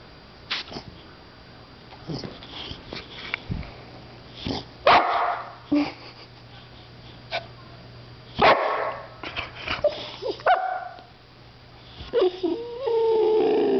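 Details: A 1-year-old white female boxer trying to bite a can of compressed air gives short yips, whines and gruff barks amid scuffling and hissing from the can.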